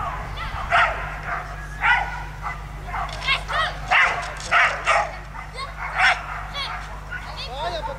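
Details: Barking from a Belgian Shepherd during agility at a national breed show (Nationale d'Elevage): about a dozen short, sharp barks in irregular bursts over eight seconds, over a constant low hum and occasional voices.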